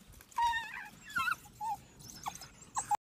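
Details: Several wild African wild dogs fighting over meat in Africa, giving short, high, squeaky twitters and chirps in scattered bursts over three seconds, with faint background rustle.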